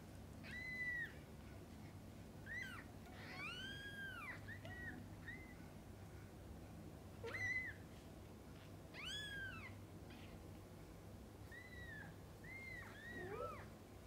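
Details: Mother cat with her kittens while feeding and bathing them; repeated high arched mews rising and falling, several overlapping, some quick and short, others drawn out, over a steady low indoor hum.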